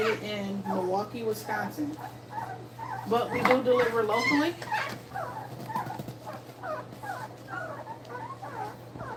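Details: Two-week-old puppies nursing, giving a steady stream of short, high, wavering whines and squeaks that overlap one another, with a few lower moaning cries at the start.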